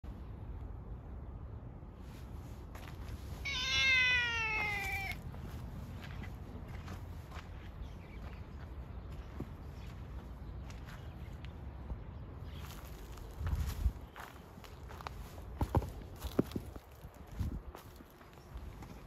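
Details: Stray orange tabby cat that comes closer whenever its follower tries to move away, giving one clear, drawn-out, falling meow, followed by low background rumble, scattered clicks and rustling.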